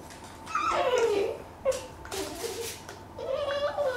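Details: Pet Dachshund indoors making drawn-out whining cries that slide downward, three separate whines across four seconds, with room hiss behind.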